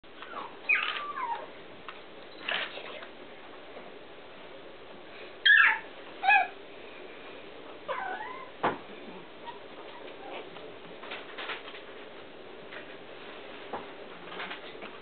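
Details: Chihuahua puppies born 17 December, lively and moving about like wind-up toys, give thin, high squeaks and whimpers that rise and fall, scattered irregularly.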